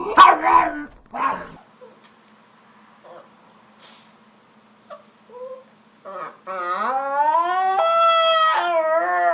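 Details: Pet dog making funny noises: a few short yelping yips, then near-silence with faint clicks, then a long sustained howl in the final three seconds.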